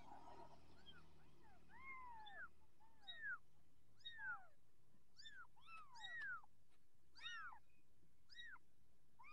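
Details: Persian kittens in their growing stage, calling with a rapid series of thin, arching mews that sometimes overlap. Around ten cries sound in quick succession over light room noise.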